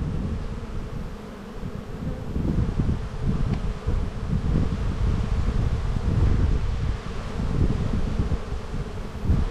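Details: Honey bees humming during a spring hive inspection in an Australian bee yard, 7-9-22: a steady low drone with bands near the bottom of the range, under gusty wind rumble.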